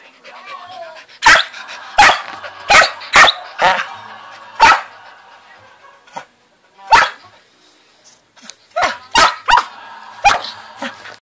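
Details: Samoyed pup Kobi barking for attention: about a dozen sharp, bright barks, some in quick runs of two to four and others spaced a second or more apart, after a brief whine at the start.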